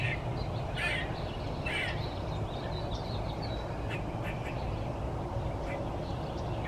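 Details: Wilma, a one-eyed gray squirrel, gives two quick grating screams a second apart, followed by fainter scratchy sounds, against steady low background noise.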